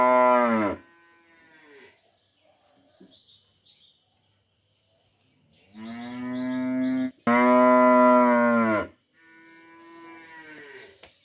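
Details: One cow, taken apart from the herd for vaccination in a village, calls to another in the morning. A short moo is followed by a pause, then three long, rich, harmonic moos back to back.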